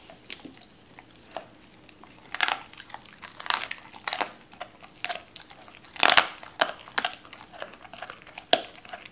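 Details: Doberman Cola chewing raw chicken: scattered crisp crunches and wet clicks, a sharp bone crack near six seconds followed by a cluster of louder bites, with quiet pauses between.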